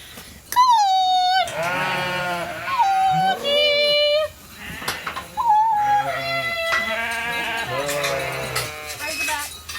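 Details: Hungry flock of sheep running into a holding pen for their evening grain in dry, dusty conditions; loud overlapping bleats, some high and wavering, others deep and drawn out, come in bursts with brief pauses between.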